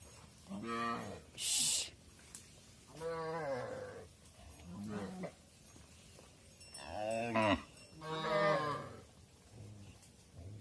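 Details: Cows heading into the barn while their calves wait outside, calling back and forth: about six moos of varying length, some deep and short, others longer and wavering, with a sharp metallic clank early on.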